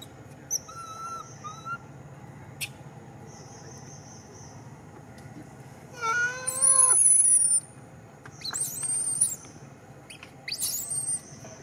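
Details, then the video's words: Young monkey Beca cries while its old mother Berry cannot save it from Mekala; high, tonal wavering cries, a loud rising harmonic squeal near six seconds, then shorter whistled cries over a quiet hum. "Very Pitiful Little Beca Monkey Crying"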